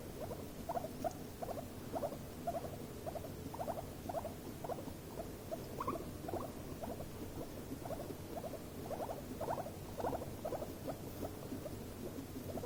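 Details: Two guinea pigs in a stressful, escalating moment: a long run of pulsed, chattering squeak bursts at a steady pace, with low rumbling noise underneath.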